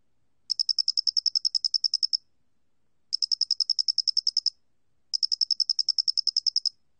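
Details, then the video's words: Square-headed cricket (Loxoblemmus doenitzi), 2020, National Institute of Biological Resources: three extended bursts of evenly spaced, bright ticking pulses, fifteen to eighteen per burst, roughly a second apart, in a quiet setting. "모대가리귀뚜라미, 여러번 듣기, 곤충소리"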